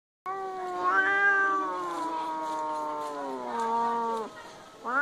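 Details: During a cat fight, a cat gives a long, drawn-out wailing yowl that slowly falls, then starts rising again.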